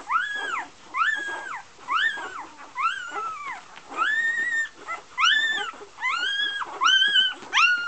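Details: Iceland's Great North Golden A litter, Golden Retriever puppies of Gabriella and Josh, crying in steady high whines, each an arched, slightly nasal tone lasting about half a second, repeated almost every second.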